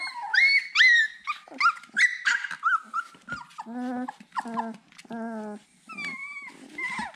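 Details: Siberian Husky puppy searching for its mother, giving high, wavering whines and yelps at first, then lower, buzzy, stacked moans repeated about every half second, indoors.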